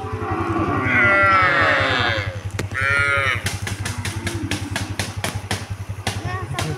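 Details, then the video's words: Cows being herded towards the fields; two drawn-out, harmonic lowing calls, the first about a second long and the second shorter, over a steady low engine-like throb, followed by a string of sharp knocks and clicks. "the sound of cute cows being herded towards the fields"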